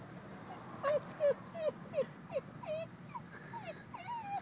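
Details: Pup EllieMae whimpering with her head inside a culvert she passes every day, apparently wanting something in there; a series of about ten thin, high whining yelps, some bending up then down, coming roughly every half second over a low background rumble.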